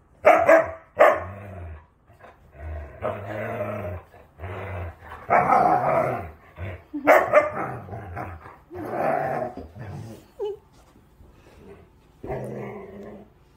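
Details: Female Siberian Husky growling during play-biting while her belly is scratched. Rough, throaty voiced bursts come in about eight separate outbursts over thirteen seconds, some rising and falling, separated by short silent pauses.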